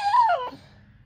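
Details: Summer, a four-month-old Cane Corso x Bullmastiff puppy, indoors and seeming to want something, gives a single high whine that rises slightly then slides downward, about half a second long, in a quiet room.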